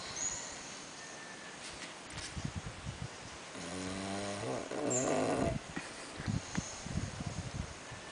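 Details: Sumo, a sleeping Bulldog at the PATT Nursery in Khao Yai, snores with a droning, harmonic rasp of about a second, then a breathy, noisier snort, amid low background rustling.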